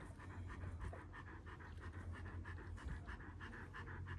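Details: Rapid, even panting from one-year-old Kangal dogs in Alanya, Antalya, Turkey, recorded 24 September 2024; quick breathy puffs follow each other about five times a second over low background noise.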